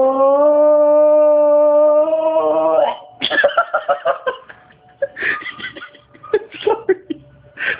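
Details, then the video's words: Cue, a pet bulldog, cries while watching monkeys: a steady, drawn-out whining tone held for nearly three seconds, lifting slightly at the end, then breaking off into a person's soothing talk indoors. "Cue the bulldog CRIES for monkeys"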